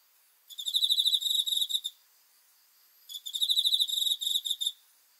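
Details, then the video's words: Night-time cricket song with two shrill, rapidly pulsing bursts of about one and a half seconds each. A clear pause separates them, and the background is quiet. "귀뚜라미 소리 풀벌레 울음소리"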